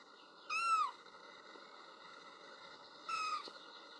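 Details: Little kitten crying while looking for its mother, who is outside on a walk: two high, clear meows about 2.5 seconds apart, each bending downward at the end, over a steady hum.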